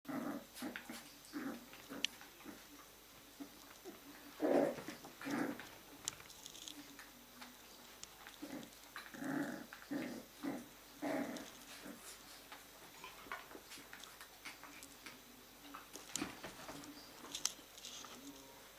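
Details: Jack Russell Terrier puppies from litter A play together on an evening at a breeding kennel indoors. Short growls, yips and whimpers come in scattered bursts, with scuffling and clicking from the tussling puppies.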